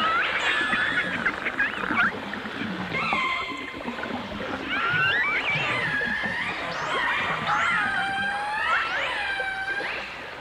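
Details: Dolphins, with orcas also featured, whistling underwater in a 1989 stereo recording: overlapping sweeping tones that rise, fall and loop over a hissing background.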